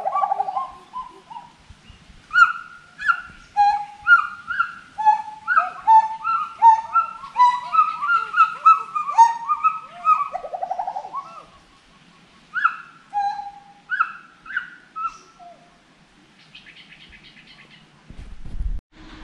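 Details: Forest monkey calling: a long series of loud, hooting whoops that rise and fall, run together into a quickening sequence, then thin out into spaced single notes before a short burst of buzzy noise at the end.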